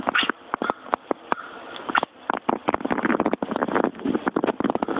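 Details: Indoor house cat chattering at birds outside, opening with a short voiced yelp, then fast trains of clicking, stuttering ticks that grow denser and more continuous toward the end.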